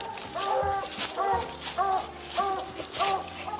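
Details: A treeing hound barking in dark woods on a night raccoon hunt in the southern United States after treeing a raccoon; distant, hollow bawling barks repeat steadily about every half second over a hissing background.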